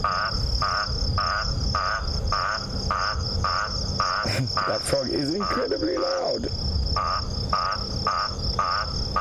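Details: Eastern olive toad (Sclerophrys garmani) gives its advertisement call, short nasal croaks almost twice a second over a steady cricket trill, at sunset on 26 October in the South African bush near lions.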